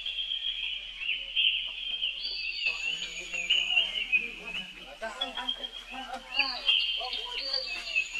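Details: A young monkey brother keeps screaming for help as Rainbow runs away fast. The steady, shrill, tonal wail stays high, sliding up at times, over quieter low-pitched chatter and rustling.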